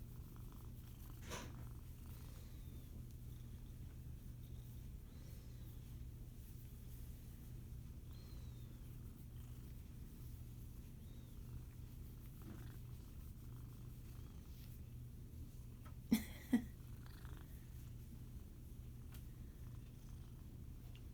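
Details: Senior female Siamese mix foster cat, 15 years old, purring in an even low drone for the whole stretch, with a couple of sharp knocks near the end and soft room noise.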